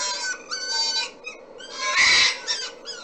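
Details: Replayed red fox mating cry, a call named 'vulpinisation': repeated shrill, harmonic screams in uneven bursts, with one louder, rough and noisy scream in the middle and faint room noise underneath.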